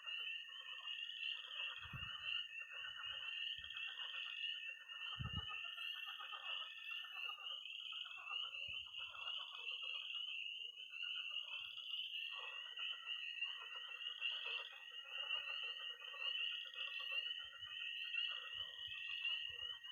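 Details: Spring night chorus of peeping tree frogs, pond frogs and trilling toads in Missouri: an incessant high-pitched peeping band, with lower rattling croaks fading in and out and a few low knocks.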